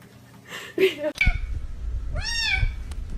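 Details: A cat gives a muffled low mew, then after a sharp knock a clearer rising-and-falling meow with strong overtones, over low rumbling background noise.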